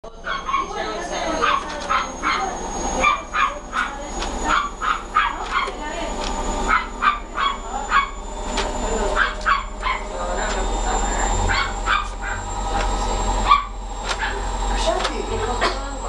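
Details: Scottish Terrier at a breeding kennel in Montevideo, Uruguay, with food involved, giving rapid bursts of sharp, short barks and yaps, several per second, mixed with people talking and a steady high electronic whine.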